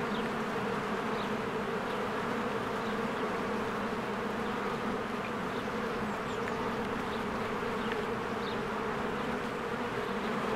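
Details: Honeybees busy at a cozy hive in spring, flowers blooming: a continuous layered buzz of many wings, steady and unchanging, while scattered thin high bird chirps sound faintly several times.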